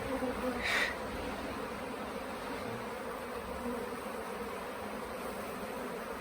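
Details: Swarming honey bees at the Tamarind Tree Hotel, late in the season, as they waver over staying in a nuc box: an unbroken, even drone of countless wingbeats, with a short louder burst near the start.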